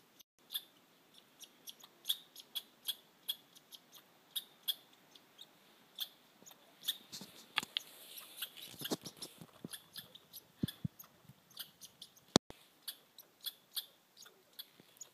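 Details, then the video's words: Red squirrels on Mt Washington, New Hampshire: a run of sharp, high, clicking chirps, repeated roughly every half second, with denser rattling bursts in the middle and a few louder snaps near the end. "Red Squirrels"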